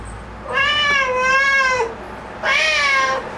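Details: Momo, a black house cat stirred up by spotting a bug indoors, gives two long, clear meows, the first drawn out and gently falling, the second shorter, over a quiet room.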